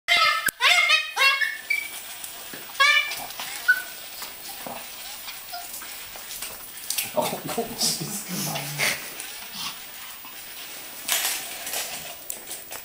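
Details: Yorkshire Terriers attacking spiders indoors: rapid high-pitched yapping barks in quick bursts during the first three seconds, followed by scuffling, thumps, scattered yaps and people talking.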